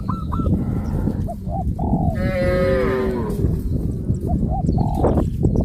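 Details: Cows of a village farm herd moving toward green grass fields; one long wavering moo with stacked harmonics rises and falls mid-recording amid shorter calls and steady low trampling noise.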